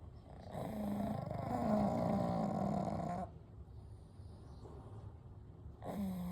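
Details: Gentle snoring from Kou, Gen and Shun, three pugs sleeping peacefully together at night: a long, buzzing, fluttery snore of about three seconds with a whistling tone, a quiet pause, then the next snore beginning.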